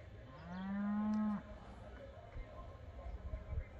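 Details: One pinto Beefmaster calls from a Moroleón ranch with a single steady, drawn-out low moo lasting about a second. Faint rustling and thuds follow in the quiet afterward.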